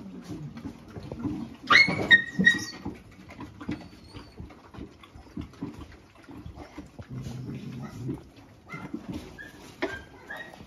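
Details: Dogs in a fight: a male dog attacks a female dog while she eats. Low rumbling growls run through most of the clip, broken near the start by a sharp high whine and a few yelps. Scuffling and thumps are heard indoors.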